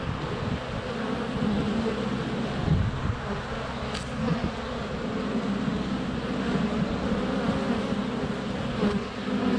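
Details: Close-up of a honey bee hive entrance on a sunny February day, GoPro Hero 7 Black within a foot; constant deep humming of many flying bees, occasional thumps of bees landing on the camera, two sharp clicks.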